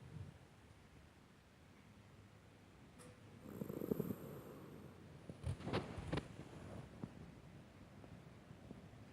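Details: Sleeping Miniature Dachshund named Tuna, aged 19, gives one soft rasping snore near the middle, followed by a few faint clicks and snuffles, then quiet breathing.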